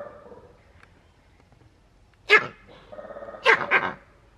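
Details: Male green monkey, the group leader, in Novosibirsk Zoo, Russia, recorded 13 June 2023, giving harsh, sharp bark-like cries that warn of danger: one loud bark, then a quick double bark a second later, with people talking quietly.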